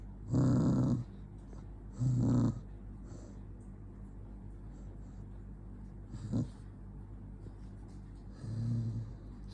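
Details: Angry dog named Jonggi giving low, rough growls: two strong bursts two seconds apart, a brief click, then a softer growl near the end, with a steady low hum underneath.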